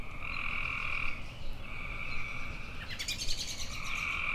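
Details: Buzzy, sustained tree frog trills about a second long follow one another closely. Near the end, a brief bright chirp, possibly from a bird, cuts across them. A low rumbling background runs throughout.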